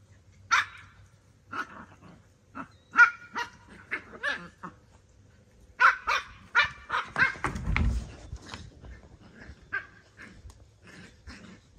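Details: Yorkie-Bichon mix dog giving a run of short, high yips and barks, about a dozen sharp bursts spread across twelve seconds, with a brief low rumble near the eight-second mark and a quiet room behind.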